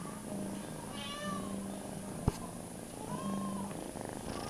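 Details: Foster kitten purring while held and licking hands, mother cat and littermates resting nearby indoors; continuous low purr with brief thin mew-like rising tones and one sharp click.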